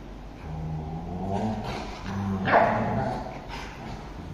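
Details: Bullmastiff and Shih Tzu fighting for the couch: steady low growling that rises in pitch and intensity, peaking in a brief snarl near the end.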